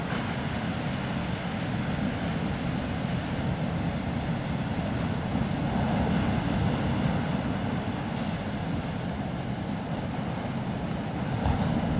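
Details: Steady broadband roar, like wind or surf with engine noise, fills the whole stretch; no animal calls stand out.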